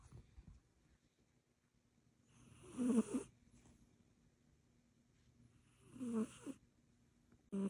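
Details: A sleeping Egyptian Mau cat snores in two rasping breaths about three seconds apart, each a wheezy burst with a faint nasal whine, and a third breath starting at the very end; quiet room between breaths.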